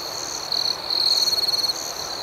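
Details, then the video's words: Nighttime crickets: a continuous high-pitched trill with a pulsed chirping burst that swells for about a second, while other crickets chirp intermittently in the background. "Soothing Cricket Sounds"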